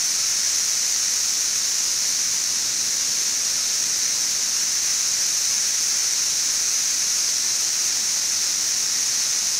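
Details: Periodical cicada chorus from brood XIV in Frankfort, central Kentucky, recorded in June 2008 about two weeks after emergence: a uniform, piercing static-like hiss that never pauses, with nothing else heard.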